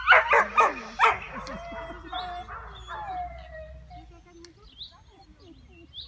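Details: Letty, a one-year-old Border Collie, facing sheep for the first time at the Bergerie nationale de Rambouillet. A quick burst of four or five sharp barks in the first second, then drawn-out whining, whimpering tones that fade away.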